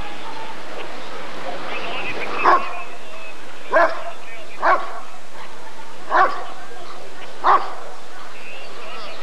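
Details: At the 1994 ADRK Körung, a Rottweiler taking part in the character evaluation of the male Janko von der Steineiche gives five loud single barks roughly a second or more apart, against a low steady background noise.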